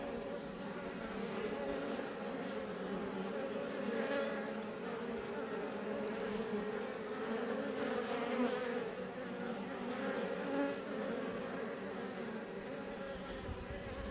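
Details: Continuous buzzing of Iberian honey bees at the entrance area of a Langstroth beebox near Roquetes, south Tarragona, Spain; a smooth steady drone with gently wavering tones and no other sounds.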